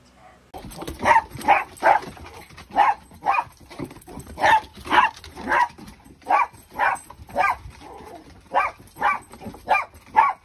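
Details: Siberian Husky puppy named Kenai, playing indoors with a shih tzu that chases him while he is coaxed to jump onto a bed; a steady run of about eighteen short, yappy barks fills ten seconds at an even, lively pace.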